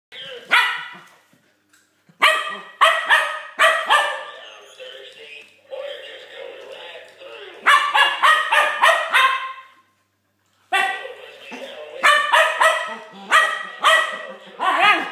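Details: Keeshond puppy barking at a Halloween skeleton: bursts of sharp, high yapping barks in quick runs of four to six, separated by short pauses, with some speech-like sound between bursts.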